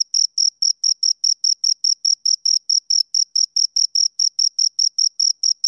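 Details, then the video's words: Steady chirping from two crickets: short, shrill, evenly spaced pulses at a brisk rhythm of roughly two and a half per second, sharp and tonal, with nothing else audible in the background. "Two Crickets Chirp Sounds for Two Hours Right on Your Ears"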